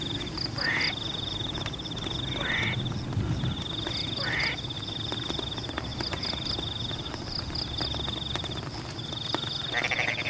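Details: Frogs calling from rain-soaked rice paddies: four short, buzzy, upward-sweeping croaks spaced about two seconds apart, then a pause before a final one, set against heavy rain noise and a high insect trill.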